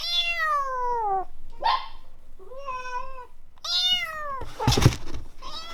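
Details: Grown cat Samson, once a kitten saved from a car being serviced, meows four times in quick succession indoors. Each call slides downward, with a brief rustle or thump between them.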